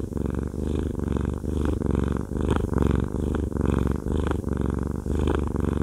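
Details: Haku the fluffy male cat purrs during a massage, a loud low rumble swelling and fading with his breathing, in rhythmic pulses a little faster than one per second.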